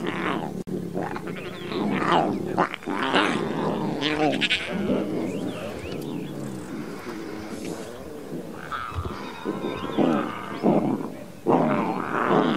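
A lion cub gives rough, moaning roars and growls in uneven bursts, with its voice breaking upward at times.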